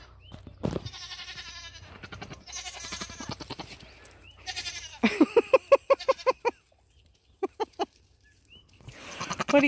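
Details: Nigerian Dwarf dairy goats meeting a buck for the first time for breeding on New Year's Eve 2020. Several bleats mix with a woman talking, including a rapid stuttering, pulsed series in the middle.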